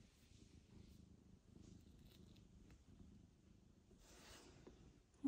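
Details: Mother cat Mosya, back home after a difficult birth and surgery, is stroked to calm her as she meets her newborn kitten Michael indoors; a steady, low, continuous purr throbs throughout, with faint rustling in the room.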